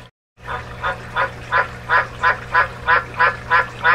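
A White's tree frog gives a steady series of hoarse, honking croaks, about three each second.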